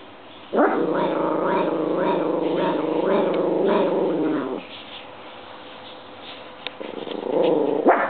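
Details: Domestic dog reacting to a washing machine running on dry cycle with an unfamiliar spin: a long rough, throaty growl of about four seconds, a quiet pause, then another growl starting.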